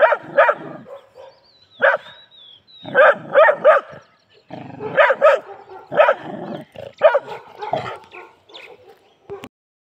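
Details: Aggressive Labrador Retriever giving repeated harsh barks, often in pairs or triplets, broken by short gaps and softer low rumbling sounds, continuing for most of ten seconds.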